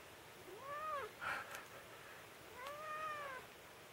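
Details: Domestic cat indoors at home, protesting while its claws are clipped: two drawn-out, plaintive meows with clear harmonics, each rising then falling, about two seconds apart, with a brief rustle between them.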